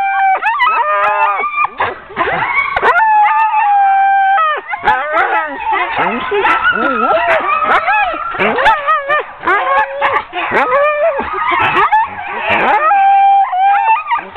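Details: A ten-dog sled team being hooked up for a training run in October 2010 erupts in a dense, continuous chorus of excited barks, yelps and drawn-out howling whines, many dogs overlapping throughout.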